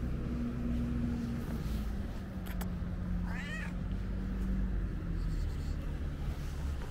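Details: Curious ginger stray cat checking the camera gives a single short meow midway, a wavering, slightly rising cry, over steady low traffic-like rumble and faint clicks.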